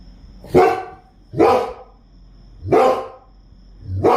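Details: A Rottweiler barks at night after hearing crickets: loud, rough, deep full-throated bursts in a slow uneven series, roughly one a second, with a faint steady hiss between.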